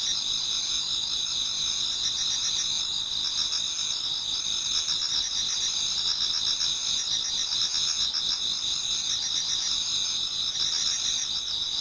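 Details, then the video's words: Autumn insects chorus before dawn in a garden in Japan, a constant high ringing trill overlaid by rapid pulsed chirps from multiple singers, even and unbroken throughout. "Autumn Insects voice Towards dawn"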